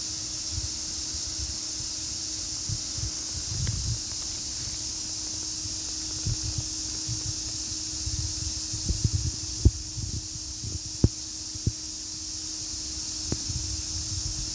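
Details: Cicada calling: a steady, unbroken high-pitched buzzing drone lasting throughout, with a faint low hum and scattered soft knocks and rustles beneath it.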